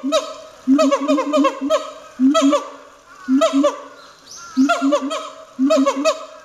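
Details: Captive siamang barking with great force at Chiba City Zoological Park, Japan: loud, harsh, harmonic barks in tight clusters of three to five, each cluster bursting out roughly every one to one and a half seconds.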